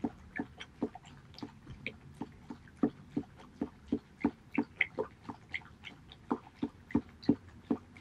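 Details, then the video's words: Haedeun, a male Border Collie, eats pollack soup, dated 2018.08.19. Steady wet lapping and chewing smacks repeat roughly three times a second across the whole stretch against a quiet background. "ASMR Bordercollie eating pollack soup 보더콜리 황태죽 먹방"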